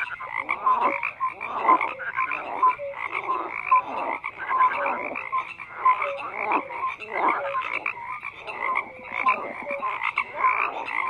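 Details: Many frogs croaking together in a dense chorus, overlapping rasping pulses and short tonal notes between roughly mid and high pitch, steady and unbroken throughout.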